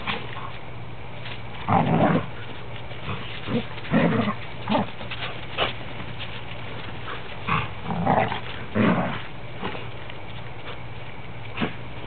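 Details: Three standard poodles, a parti, a black and a cream, playing together indoors; short rough growling bursts come in clusters of a second or so, scattered through a steady background hum.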